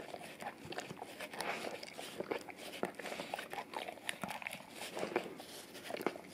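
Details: Indoors on a tile floor, a male English cream golden retriever laps at a peanut-butter-coated Orapup tongue brush; soft continuous wet licking and mouth noises, fairly quiet, with irregular smacks.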